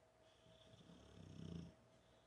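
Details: Sleeping American Bulldog, a big male, on his couch outside a studio, recorded at six feet without a microphone; a single soft, low, rattling snore swells and fades over about a second.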